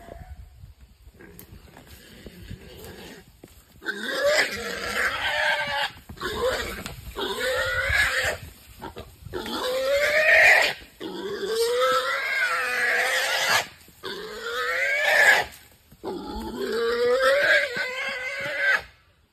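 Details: A wild boar caught in a trap squeals hard and raspy, each shriek one to two seconds long with wavering pitch, in a steady run of bursts separated by short pauses.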